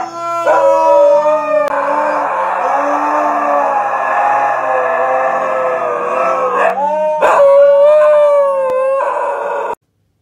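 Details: Siberian Husky at home at bedtime, howling in a long, steady, tonal wail held for about six seconds, then breaking into wavering, rising and falling howls; a second lower voice joins in briefly.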